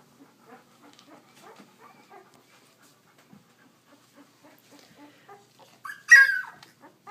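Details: Leia's puppies on a walk: soft, scattered whimpering squeaks and snuffles, then one sharp, loud yelp near the end, otherwise quiet.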